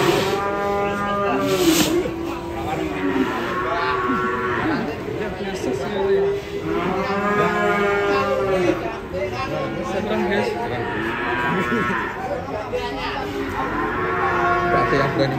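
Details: Cow on a rampage as it is unloaded from a truck, having rammed a motorbike; repeated loud bellowing moos, each a long harmonic arc lasting about two seconds, with music and crowd noise underneath.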